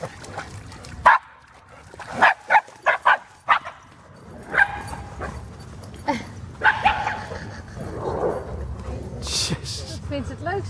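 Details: Black female Shiba Inu making a racket among a pack of dogs in the water at Groenendaal forest: a scattered run of short, sharp yaps, some in quick clusters, mixed with people talking and splashing.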